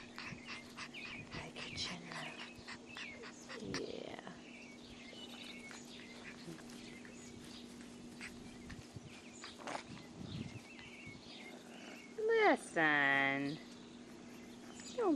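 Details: A litter of six-week-old English Bulldog puppies, all males, with scattered faint squeaks and clicks, then a loud wavering, falling cry near the end, with a steady hum throughout.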